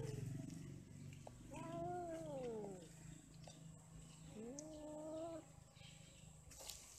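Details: Cats mating and quarrelling give two long, quavering caterwauls. Each is a drawn-out moan that rises and bends down, separated by a short pause, with low background rumble throughout.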